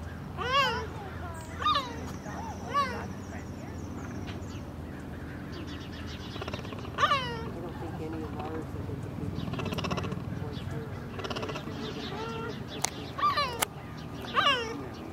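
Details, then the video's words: Cheetah at San Diego Zoo Safari Park on 17 November 2021, responding to a lion roar and looking for its cubs: sharp, high, harmonic-rich barks come in bursts about a second apart, then more scattered, over steady background murmur and people talking. "Cheetah Stutter-Barks at San Diego Zoo Safari Park"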